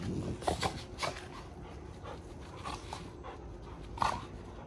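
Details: Giant Schnauzers wrestling and tussling together in rough play; sharp breathy bursts of panting come at irregular intervals, with a louder scuffle near the end.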